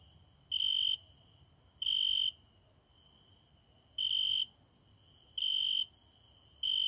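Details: A single cricket singing at night at a window. It makes shrill, high, pure chirping bursts, each about half a second long, repeated five times at uneven gaps of one to two seconds over near silence.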